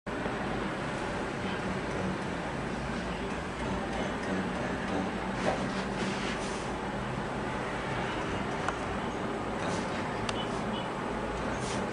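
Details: Steady rumbling vehicle or train noise with faint voices, and no animal sound.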